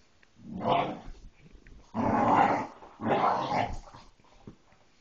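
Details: Bullmastiff mix puppy growling at a toy: three rough, throaty growling bursts, each under a second long, rising and falling in loudness with short quiet gaps between them.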